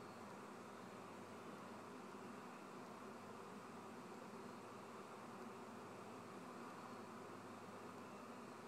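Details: A swarm of kept honey bees producing an unbroken, even droning buzz with banded low and middle tones, no pauses or changes in intensity across the recording.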